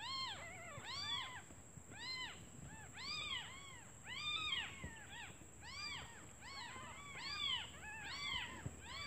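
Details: Several newborn kittens crying together for their mother, who left to look for food, because they are hungry; overlapping arched meows pour out almost continuously, voices stacking on one another, over a steady high-pitched hum.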